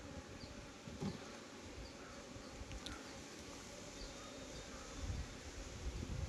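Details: At a Nellore bee farm, a crowded honey bee hive gives a deep, even buzzing drone that swells slightly near the end, with a few faint clicks and light handling sounds.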